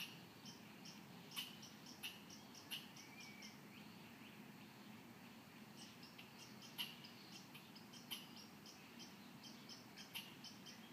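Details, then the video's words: Muskegon squirrel in its tree, known for mimicking nearby sounds: quiet, abrupt click-like chips in uneven bursts, some paired, set against a constant low background rumble. "B Boxing Squirrel"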